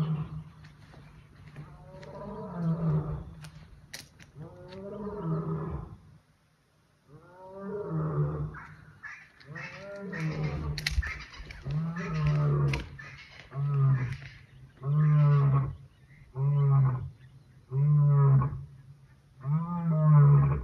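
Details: Lion roaring near Punda Maria Rest Camp in Kruger National Park in September 2024, in the early morning: long moaning roars building into a closing series of short, deep grunts about a second apart.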